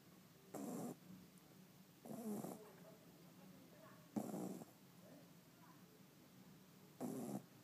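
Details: Five-month-old Shih Tzu puppy snoring while asleep; soft breathy snores in short bursts about every two seconds, four in all, over quiet room hiss.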